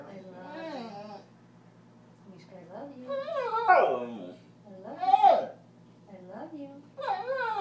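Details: Border collie, a male pet dog, arguing back with his owner in a string of wavering, speech-like whines and yowls rising and falling in pitch, several louder bends near the middle, with human voices mixed in.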